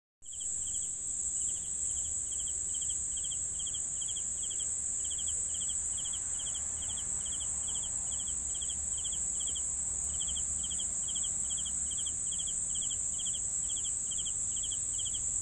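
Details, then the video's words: Steady cricket chorus of rapid, evenly spaced trilled chirps, overlaid by a loud unbroken high insect whine and soft low background hum. "CRICKETS SOUNDS"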